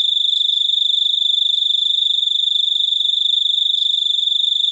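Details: Cricket giving a steady, unbroken high-pitched trill throughout, made of very rapid pulses with a fainter overtone above, against a quiet background.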